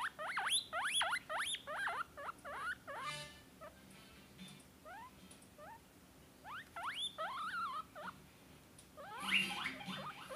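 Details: A young Peruvian guinea pig screams in reaction to other guinea pigs' calls, giving bursts of rapid rising-falling whistled squeals, pausing briefly between bouts, with some faint background noise.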